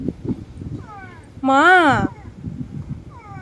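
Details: Hungry domestic cat, unfed, letting out a loud rising-then-falling meow around half a second long, with softer meows before and after and a woman speaking Bengali nearby.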